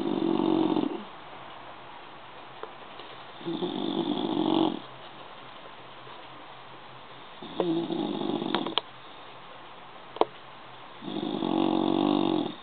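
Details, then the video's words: Deeply sleeping bulldog snores four times in a regular rhythm, each breath a coarse, nasal rasp lasting over a second, with faint clicks and hiss in between. "Schnarchender Bulldog"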